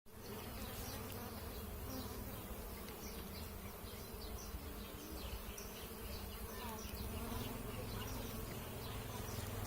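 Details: Giant honey bees at a hive during a honey harvest, dated 15/7/66: a dense, steady low buzzing hum from many bees throughout, with faint scattered higher chirps above it.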